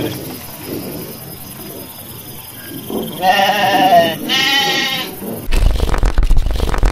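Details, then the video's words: Garut sheep bleating in a rice-field area where dozens of sheep run about as rams rage; two drawn-out, wavering bleats mid-clip over a low rumble, then a burst of loud rough noise at the end. "DOMBA GARUT NGAMUK"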